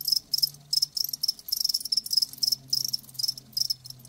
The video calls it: Live Crickets 60min "Natural Sound" ASMR